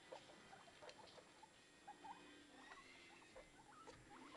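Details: Newborn guinea pigs popcorning and following their mother around: soft, short squeaks and chirps, some rising, scattered through the clip over faint rustling and handling noise.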